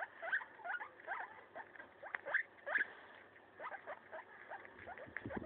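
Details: Guinea pig Maso eating a leaf: quick uneven crunches and snapping nibbles, about two to three per second, close and dry.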